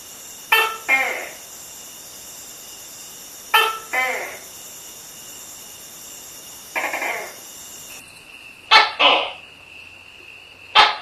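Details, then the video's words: Tokay gecko calling at night: harsh two-part barking calls, a sharp burst then a lower rasping note, repeated about every three seconds over a steady high-pitched background hum that shifts near the end. "Tokay Gecko Sound | তক্ষকের ডাক | Tokay Gecko Call at Night"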